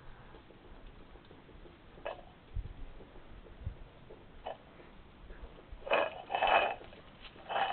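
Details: Two hedgehogs fighting on the night of 7 to 8 June 2020, one attacking the other out of nowhere while it somersaults; soft scuffling, then a cluster of loud, breathy snorting bursts near the end over quiet background hiss.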